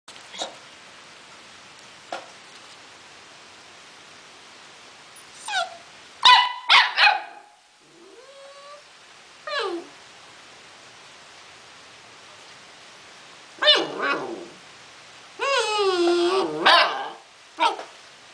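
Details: A 4-month-old Akita Inu mix puppy, playful, lets out irregular clusters of high-pitched yips and sharp barks, some sliding into whiny, wavering whimpers, separated by stretches of near silence.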